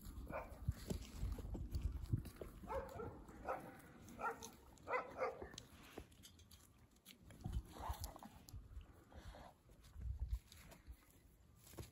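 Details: A very friendly family of dogs. Short, high, tonal whines or yelps come in a run of bursts through the middle of the clip, then again near the end, over low rumbling and handling noise.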